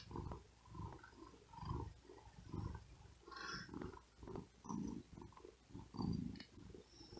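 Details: Resting cat stretched out on a cool wooden desk in great heat, panting with effort between purrs; deep, throaty rumbling bursts swell and fade about once a second in a quiet room.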